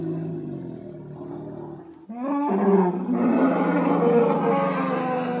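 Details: Asian elephant: a low, groaning rumble for about two seconds, then an abrupt, loud, harsh roaring blare held steadily to the end.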